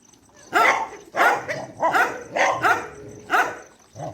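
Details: Night feeding at a dog shelter: loud, rough barks come in quick succession roughly every half second to second, with a faint steady hum behind them.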